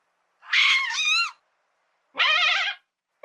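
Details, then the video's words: Madagascar lemur giving loud, quavering, harmonic cries, each under a second long, separated by about a second of silence, the pitch trembling up and down. "LEMUR SOUND"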